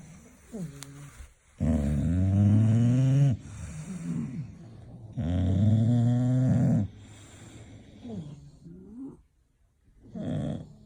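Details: English Bulldog snoring loudly while asleep; two long rasping, droning snores of about two seconds each, with shorter snorting breaths and whistly wheezes between them.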